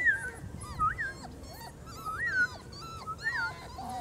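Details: Litter of four-week-old German Shorthaired Pointer puppies on their first outing outdoors, giving high whistled whimpers that rise and fall, overlapping from several pups in quick succession, with quiet background and no speech.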